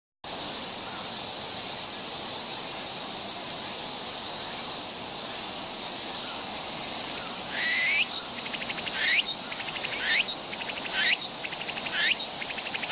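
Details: Meimuna opalifera cicada (tsukutsukuboushi) recorded with an OLYMPUS OM-D E-M1 Mark II and TASCAM TM-2X microphone: a steady shrill insect drone, then from about eight seconds quick rising buzzy sweeps repeated roughly once a second.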